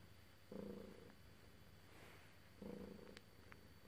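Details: Domestic cat purring while being petted, two low rumbling purr bursts about two seconds apart, each lasting around half a second, over a quiet steady background hum.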